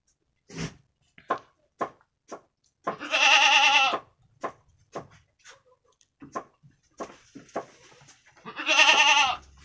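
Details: Jawarandu goat kids, a brown pair about a week old, playing in their pen on 6 November 2021; two quavering, harmonic-rich bleats some five seconds apart, between them sharp repeated clicks and knocks of hooves and the pen.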